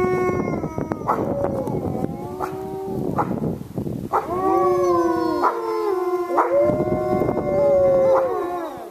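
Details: Wolves at Lakota Wolf Preserve, starting with short sharp yips and barks amid noisy bursts, then settling into long steady howls, one higher voice gliding above a lower one.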